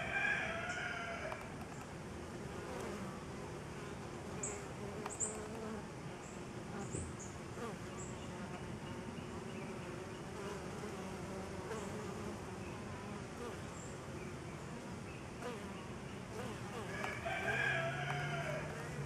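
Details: Honey bees working a homemade pollen substitute hum in a thick continuous low buzz, with a harmonic call at the start and again near the end, plus faint high chirps.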